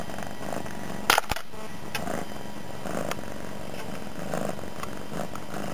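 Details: Domestic cat, a young female recently taken in, lying on the floor indoors near a person at a computer and purring loudly; a steady low rumbling purr throughout, with a brief sharp click near the start.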